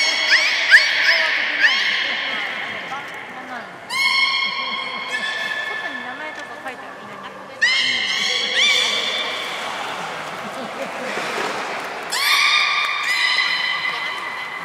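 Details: Captive beluga whales, Port of Nagoya Public Aquarium, 3 February 2019, at feeding and play time; brief chirps give way to long strong whistles with rich harmonics in several bursts, some bending upward, over a quieter murmuring background.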